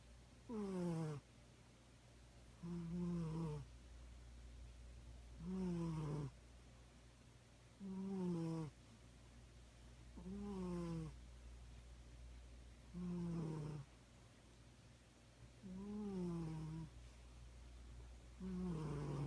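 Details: Sleeping kitty snoring steadily, a falling, buzzy rasp on each breath repeated roughly every two and a half seconds, about eight snores in a quiet room.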